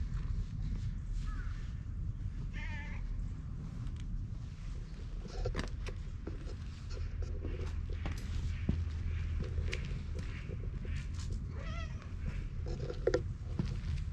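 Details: Soft, faint meows from a stray cat recorded with a GoPro, three brief wavering calls spread across several seconds, partly buried under heavy low-frequency rumble, clicks and movement noise.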